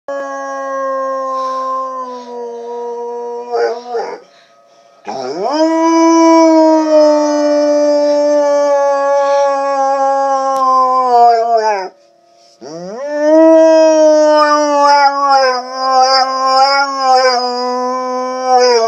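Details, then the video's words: Domestic dog howling while tornado sirens wail in the background; long sustained tones that slide downward at the end of each howl, with two brief breaks between howls and the steady siren tone running through. "Howling dog"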